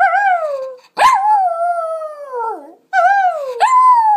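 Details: A female Lhasa Apso howls along with her owner, giving drawn-out howls that waver and slide downward in pitch, broken by abrupt yelping catches before swelling into a fresh tone; she howls whenever someone joins in.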